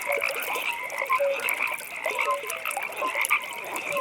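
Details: Nighttime pond with frogs croaking, with a constant high trilling chorus and short mid-pitched tonal calls popping out about once a second.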